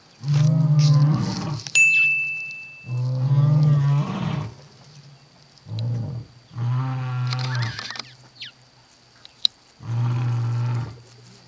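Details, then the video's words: Lion roaring in the Kgalagadi, Kalahari, to proclaim territory and locate pride members: a series of five shorter, deep, grunting roar bursts at fairly even spacing, with a thin high tone and faint clicks in the background. "Lion Roaring compilation"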